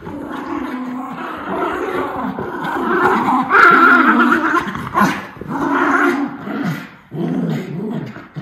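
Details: Miniature Schnauzer brothers playing indoors, running, chasing and jumping; one dog sounds mean but is just being vocal. Dense, rough growling with harsh noisy bursts runs almost continuously, rising and falling in loudness.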